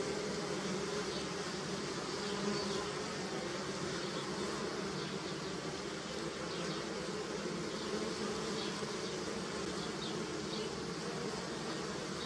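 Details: Many bees buzz together in a steady, droning hum that never lets up while visiting flowering pussy willow.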